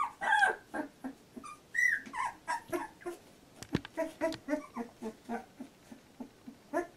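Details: Labrador Retriever puppies of litter J at 14 days old, squeaking and whimpering in short high bursts that come in quick succession, amid soft rustling and shuffling sounds.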